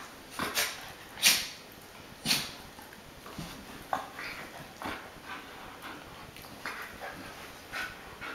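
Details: American Akita Tomo, an adult female, entertaining her new little puppy brother Shima indoors; short sharp whimpering yips and squeaks come in uneven bursts about once a second, with soft rustling between them.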